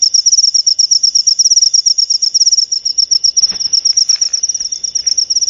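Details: Steady cricket chirping, a fast, high-pitched stream of short pulses that barely pauses, sharp and loud, with a soft click or knock near the middle.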